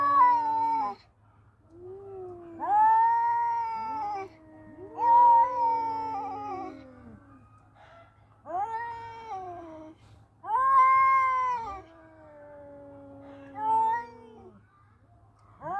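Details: Male cats fighting trade long, rising and falling yowls in bursts of one to two seconds, the two voices sometimes overlapping, with short gaps between and a faint low hum throughout.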